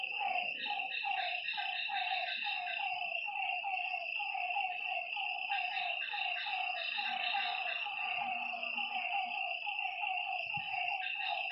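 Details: Frogs calling at night beside a lake: dense, rapidly repeated croaking notes overlapping in a steady chorus, layered over a continuous high-pitched shrill drone from other night creatures, with faint low rumbles underneath.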